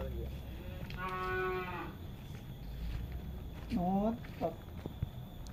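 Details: Cattle calling outdoors: one steady, sustained moo lasting nearly a second, then a quick rising low call and a brief follow-up grunt, with a faint continuous hum and low rumble behind.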